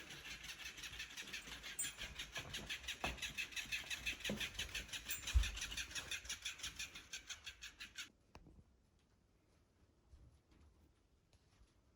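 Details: A toy's motor whirs in rapid rhythmic pulses for several seconds, with a couple of knocks, then cuts off into near silence.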